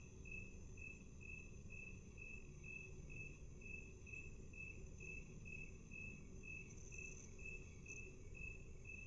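Slowed-down cricket chirps, steady pulses repeated about twice a second over a low rumble.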